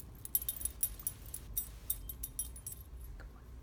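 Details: Light metallic jangling and clinks repeat in quick bursts over a soft low background, with no animal sound.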